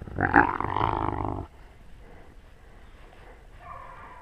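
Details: Wolf recorded on a GoPro at wolf level while among the pack: a loud, harsh, rumbling growl-like call for about a second and a half, then quiet with faint background noise and a soft tonal sound near the end.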